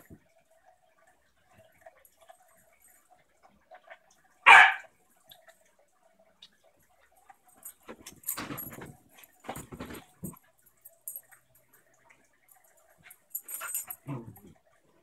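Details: During play between a new German shepherd puppy and an adult basenji pit bull mix, one loud bright bark rings out midway, then rough scuffling, low growly huffs and rustling through the later seconds.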